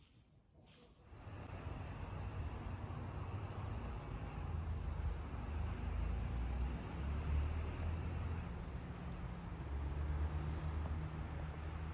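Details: Steady low rumble of passing road traffic and vehicle engines, with a brief sharp noise at the start and no animal voice.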